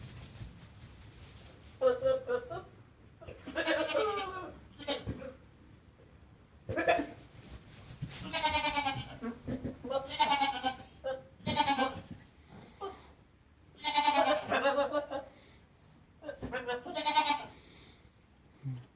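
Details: A goat's loud, strained bleats, drawn-out and wavering, repeated in a run of about eight cries with short breaks between them.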